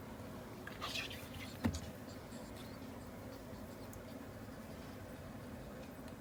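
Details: Choco, a small sable female pet ferret from Path Valley, sneezing again and again indoors after playing mischief: a noisy, hissing burst near one second, then a sharp snap-like sneeze, followed by quiet room hum.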